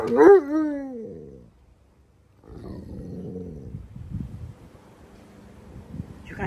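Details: Upset over the dirty green pool, one of a pair of Alaskan Malamutes, Tonka and Monroe, gives a single falling, moaning howl. Quieter murmuring noise and soft sounds follow.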